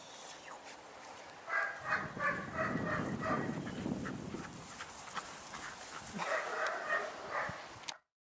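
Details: Malinois pups of almost 11 weeks squabble over a bone: a steady rough growl runs underneath repeated high yelps and whines. The noise swells from the second second, then stops abruptly just before the end.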